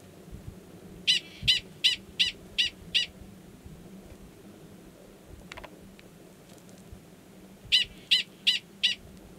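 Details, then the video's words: Mating call of a male Gunnison's prairie dog, New Mexico's Valles Caldera National Preserve, March 2017, before he submerges to copulate; a string of six evenly spaced piercing chirps, a long quiet pause, then four more. "Prairie Dog Mating Call"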